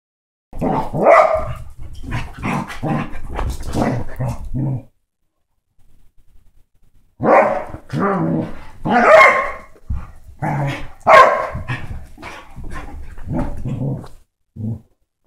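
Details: Basset hound and Dachshund mix dogs playing hard together: rapid runs of short rough growling and barking bursts, a quiet pause around the middle, then more dense overlapping snarls and yaps.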